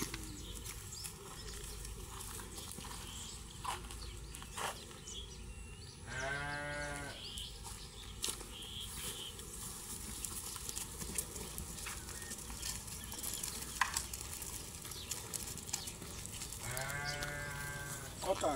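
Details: Balami rams grazing on grass in a field on a farm; two loud, wavering, nasal bleats rich in harmonics, one near six seconds and another near seventeen, between scattered clicks, chewing noises and steady outdoor background noise.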